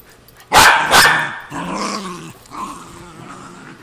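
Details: Two pet terriers, a Cairn Terrier and a Jack Russell Terrier, fight over an old golf glove. Two loud, sharp barks come in quick succession, then rough, rumbling growls and snarls that fade into lower grumbling.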